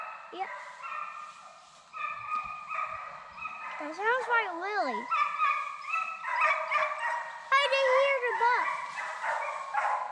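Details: A pack of hounds in South Carolina, 2021, runs deer on a deer dog drive, baying in drawn-out, quavering, overlapping cries that slide up and down. Music plays faintly and a man's voice is briefly heard.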